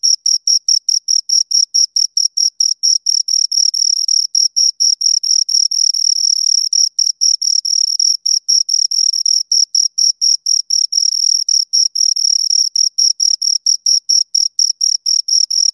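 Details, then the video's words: A pair of crickets keeps up an unbroken run of rapid, piercing chirps, pulses packed closely with tiny gaps, occasionally doubling where both insects overlap, against total quiet otherwise. "Two Crickets Chirp Sounds"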